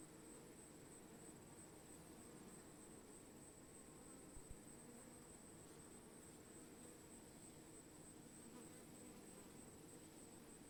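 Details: Even, low humming drone of bees with no pauses, a faint steady high whine, and a short knock near the middle.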